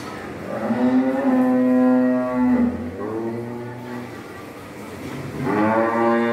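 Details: Cattle mooing loudly: a long, deep harmonic moo lasting about two seconds, a second lower moo following, then a rising moo at the end, over steady background hum.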